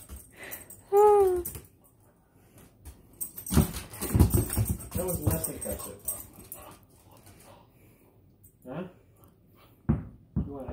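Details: Female dog barking indoors with a tennis ball in her mouth: a short high whine, then a run of muffled, noisy barks, with a woman talking to her between them.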